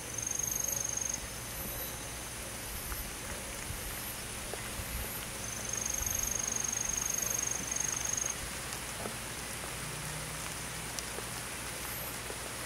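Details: Crickets on a summer night in a forest. A very high, pulsed trill comes in bursts of a few seconds, separated by quieter stretches, over a constant insect hiss with light crackling.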